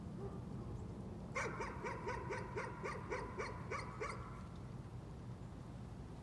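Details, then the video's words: Dog in a bout of nuisance barking: about eleven quick, sharp barks packed into under three seconds, starting abruptly after a quiet lead-in and stopping just as suddenly, over a steady low hum. "Nuisance barking again."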